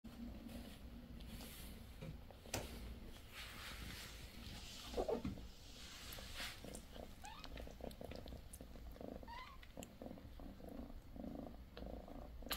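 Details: Purring from a litter of four 16-day-old British Shorthair kittens, mother Bassy: a steady low rumble runs throughout, with a few faint, thin rising squeaks near the middle and end.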